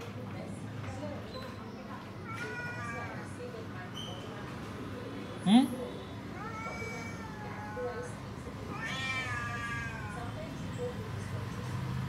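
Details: Waiting outside the door for food, a tall cat makes several softer, brief meows with bending tones, one sharp squeak near the middle, over a low background hum.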